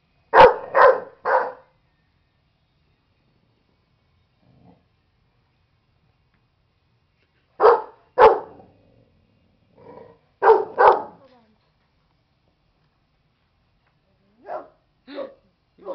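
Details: Pet dog named Buddy barking in agitation at a stuffed animal indoors: sharp broad barks in bursts of two or three, first a quick triple, then pairs with quiet gaps, ending in softer single barks.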